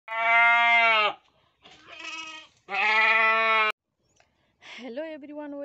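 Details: Goats on a goat farm in Nepal bleat in long, loud, nasal cries of about a second each, three in close succession, then a shorter wavering bleat after a pause.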